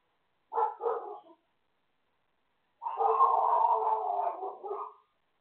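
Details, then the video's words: Dog barking next door: a short double bark followed after a pause by a longer, sustained harsh barking run with strong harmonics, two bursts in all, no other sounds. "More barking next door"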